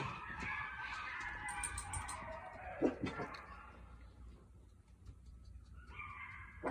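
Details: Night-time coyote howls and cries, wavering overlapping tones strong for the first three seconds, then fading into broad background hiss before rising again at the end.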